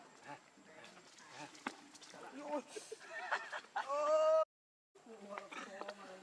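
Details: Baby macaque named Leo crying and begging its mother for milk: a loud, tonal, harmonic wail that swells near the end, with quieter chatter, rustling and human voices earlier.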